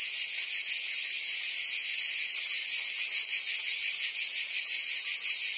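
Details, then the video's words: Cicadas buzzing in forest trees: a dense, steady, high-pitched electric drone with no breaks, faint rapid pulsing within the hum, holding at an even loudness throughout. "Ambient Cicada Sounds"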